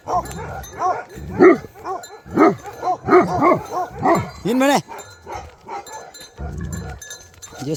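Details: Bhote Kukur, the Nepali dog breed, barking in Nepal, a string of loud arched barks roughly once a second, with a man's voice in the gaps.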